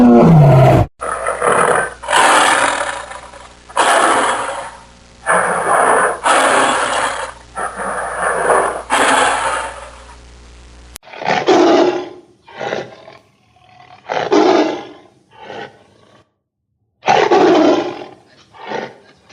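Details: Tiger roaring repeatedly: a run of evenly spaced, rasping roars over a steady low hum, then shorter, choppier roaring bursts with brief silences between them.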